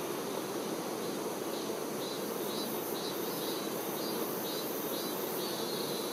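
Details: Worker honey bees tending the queen bee produce a continuous, thick droning buzz with no pauses. Faint, short high-pitched chirping notes repeat softly behind the hum.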